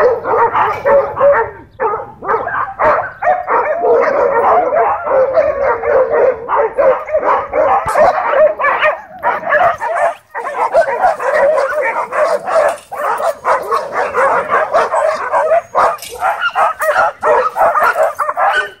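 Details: Dogs fighting at a dog park, tension rising because owners left them on leash inside: a long unbroken wall of harsh barks and snarls from several animals, only a short dip near ten seconds.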